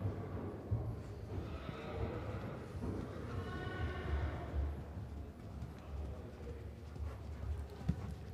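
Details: Young Friesian stallion being ridden at a pre-riding day in Nunspeet, Netherlands, 13 June 2024, described as young horses with life in them: a harmonic whinny rising and falling mid-recording over steady low hoofbeat thuds and faint human voices.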